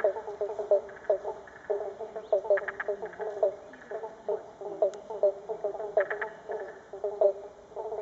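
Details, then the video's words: Frogs, including Pobblebonk (Banjo Frog) and Spotted Marsh Frog, calling in a dense chorus of short, repeated pulsed notes among flooded River Red Gums along the full Murray River in north-west Victoria. "Frog calls from flooded River Red Gums"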